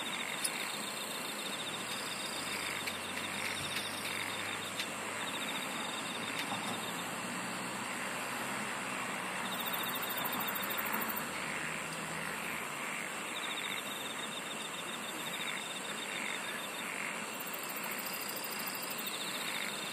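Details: Relaxing insect singing: sustained high-pitched trills and pulsed chirrs overlapping, with intermittent brighter bursts, a constant noisy backdrop and a low rumbling hum through the first half.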